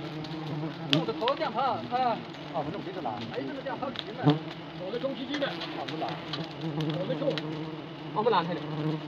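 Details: Honey bees at a hive being harvested the traditional way in Nagaland, a risky job: a steady, low droning hum runs throughout, with people talking over it and scattered clicks and knocks.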